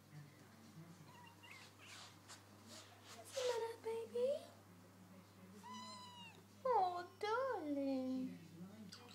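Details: A hungry house cat meows indoors while its owner asks what's the matter and where its food is: two rising-falling whiny meows, then a longer drawn-out plaintive meow, over a steady low hum.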